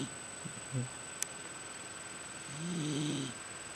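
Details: A pregnant female miniature Dachshund snores while sleeping, a low, rumbling breath near the end after a few soft snuffles.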